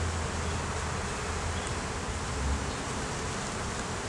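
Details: Honey bee colony buzzing as its hive is inspected in the beeyard; an even, crowded drone with a deep hum that swells slightly partway through, no speech.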